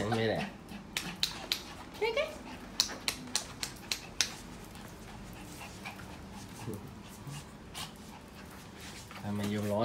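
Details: Pet poodle indoors, very excited while getting ready to go out. There is a quick run of short, sharp yelps, roughly one every third of a second, in the first four seconds. Human voices are heard at the start and the end.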